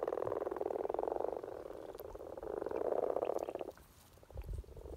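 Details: Spring courtship chorus of common frogs in Norway, a continuous mass of soft, rapid purring croaks in two swelling bursts, then a quieter pause with a few scattered low knocks.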